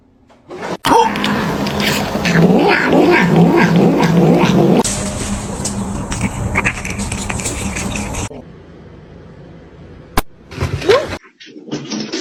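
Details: Domestic cat yowling in a loud, harsh, sustained stretch of about four seconds, with a rough layered tone and steady droning, then breaking off into quiet with a sharp click and brief stray noises.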